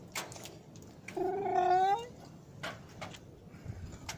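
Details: Domestic cats at Jaromin on a rainy Christmas Eve near midnight, 24 December 2017, offered pierogi with Christmas wafer: one clear, drawn-out meow rising slightly in pitch, with a person talking quietly and scattered clicks around it.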